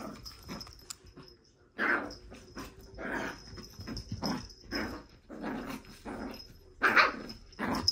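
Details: A Shih Tzu on a hectic May 2023 afternoon barks repeatedly in bursts of about one per second, some rougher and growl-like, over a constant thin high-pitched background tone.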